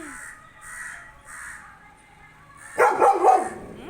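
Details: Labrador outdoors on an evening among birds, sky and plants: soft repeated bird calls at first, then a loud, harsh burst of two or three quick barks near the end.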